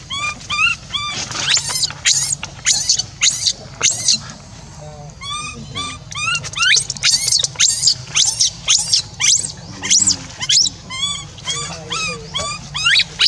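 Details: Orphan monkey left alone, crying continuously to call its caregiver back: piercing high squeals and short rising-falling wails in quick irregular runs, several per second, over steady low hum.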